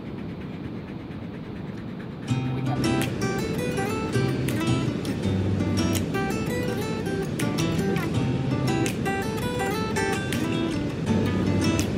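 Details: Acoustic guitar music starts after about two seconds over a low background rumble, with strummed and plucked notes continuing to the end.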